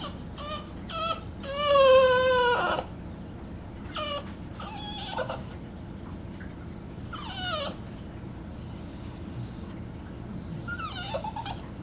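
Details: Playing with her iDog toy, Beatrix the female Boston Terrier lets out a loud, drawn-out whimpering whine near the start, then shorter falling whines and squeaks later, over a constant low indoor hum.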